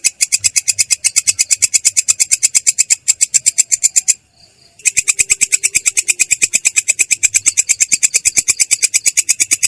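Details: Clear, coarse ngerol roll from a belalang kecek katydid: dense, evenly spaced high-pitched rasps, one short silence just before midway, then the rapid pulsing continues to the end.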